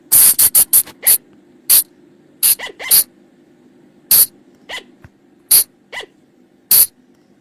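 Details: Forest sound of the flying lemur, called bang or pha chong, for luring them after dark: a rapid opening flurry of raspy bursts, then widely spaced harsh bursts mixed with short rising squeaks over a faint hum.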